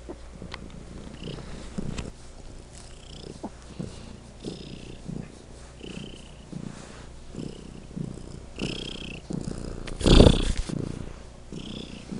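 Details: Legend, a pet cat, purring loudly; steady low rumbling pulses repeating about every second, with a short loud rustling burst near the end.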